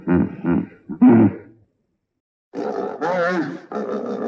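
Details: Hippopotamus uttering three gruff, pulsed grunts, a pause, then a wheezy, wavering honk with rising and falling tone.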